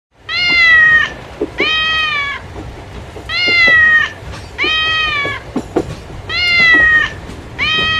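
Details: A domestic cat meows loudly and insistently; each long, even, slightly wavering meow lasts about a second and repeats every one and a half seconds, with faint clicks and knocks between calls.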